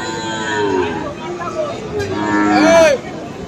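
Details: Cattle, among Friesian and crossbred bull calves at Aftabganj cattle market in Dinajpur on 21 February, give a short moo that rises and falls near the end, over a background of market murmur.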